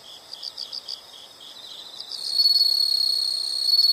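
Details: Insect chorus: soft, evenly spaced pulsed chirps for the first two seconds, then a loud, shrill, unbroken trill rises in and dominates to the end.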